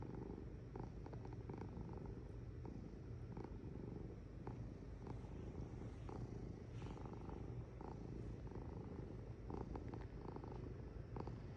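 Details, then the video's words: Domestic cat purring, a soft low rumble under faint clicks and rustles, with a steady low hum running throughout. "Purring Cat"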